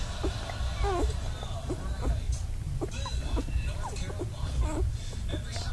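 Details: Newborn black Labrador Retriever puppies, two days old, from a litter of ten nursing beside their mother Penny while she cleans one pup; short high squeaks and whines, some rising and falling, repeat irregularly over a steady low rumbling background.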